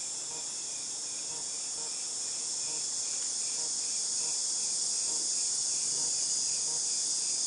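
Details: A loud, steady cicada chorus from August 2018: piercing high hiss without breaks, gradually strengthening, with a soft rhythmic pulsing of quicker chirps repeating several times a second in the background.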